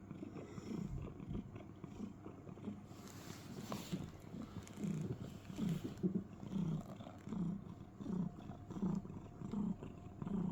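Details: Domestic cat cuddling in a box and making soft chirring sounds likened to crickets: low, rumbling pulses repeating a little faster than once per second, with brief rustling near the start.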